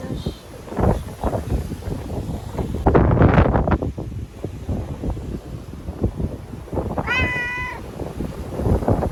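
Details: Ear-tipped stray cat in Okinawa, caught and moved into a bathroom for shelter from Typhoon No. 10 in September 2020; one wavering, slightly falling meow late in the clip amid loud banging and scuffling.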